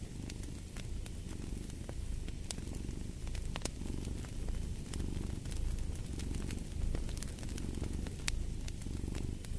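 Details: Domestic cat purring steadily, a low rumbling throb that swells and fades roughly every two seconds with each breath, while sharp pops and crackles of a fireplace burning snap over the top throughout.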